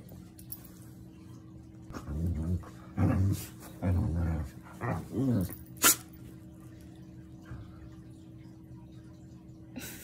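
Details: Border collie and German shepherd fighting each other for dominance; a series of low rough growls and snarls in bursts around three to five seconds, then a sharp bark, over steady hum indoors.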